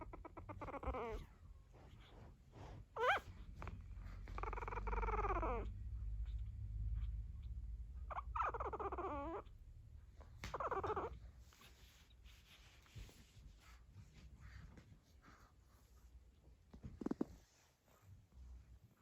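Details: Fourteen-day-old pug puppies that have begun walking make thin, harmonic whines that rise and fall in several separate bursts over steady low rumbling and handling noise.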